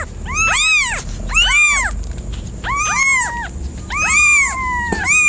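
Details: Cat meowing in clustered bursts of overlapping arched calls, some ending in a long drawn-out falling tail, roughly one burst per second, over a low rumbling background and a faint steady high tone.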